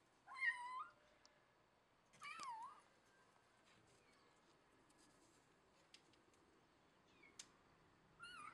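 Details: Kitten being scruffed, held by the loose skin at the back of its neck: thin, high meows that rise then fall, given at about half a second, two and a half seconds and again near the end, with quiet room background between.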